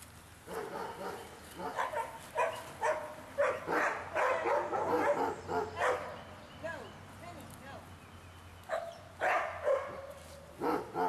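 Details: Large barking dogs heard on a walk, a long run of loud harsh barks at irregular intervals, sometimes in quick pairs, with pauses and outdoor background noise.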